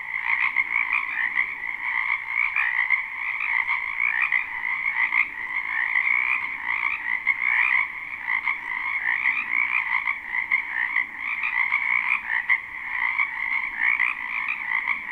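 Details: Spring wetland frogs by a house, a live unlooped recording, form a thick continuous croaking chorus of rapid overlapping trills that hold a steady high pitch, swelling and easing slightly but never pausing.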